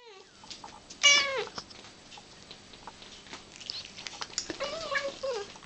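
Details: Domestic cat, eagerly delighted over her favourite food of tuna with cat crunchers, gives a bright drawn-out meow that rises then falls, sounding a little like "mama". A second, shorter wavering meow follows near the end over a faint steady hum.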